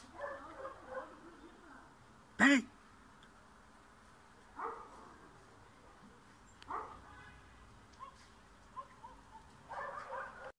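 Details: Dog in a Bulgarian yard, trying to chase off a cat, barks faintly and sporadically at a distance, broken by one abrupt loud clack early on.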